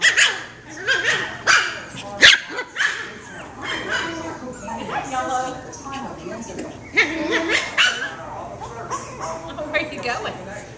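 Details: Layla, a parti-colored Pekingese puppy about 6 weeks old, gives sharp, high yaps and soft whimpers while playing with puppies as people talk nearby.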